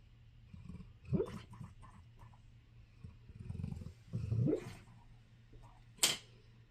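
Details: Sleeping dog snoring indoors: low, rough rumbling breaths swelling at about one, two-and-a-half and four seconds, ending in a sharp higher snort, over a constant low electrical hum.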